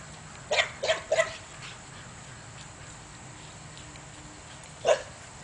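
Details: Belgian Malinois barking at donkeys on the other side of a fence: a quick burst of three sharp barks, then a pause and a single bark near the end, over a faint steady background hiss.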